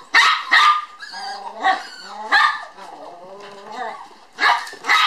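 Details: Two toy poodle puppy sisters born on 9 July romp energetically at a Kyoto breeder; two quick shrill yaps, then squealing, warbling whines and growly play noises, ending with another pair of sharp yaps.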